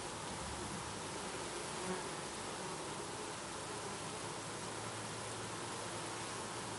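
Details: Honey bees (Apis mellifera) at a beehive fill the air with a steady, dense buzzing drone from many wings at once.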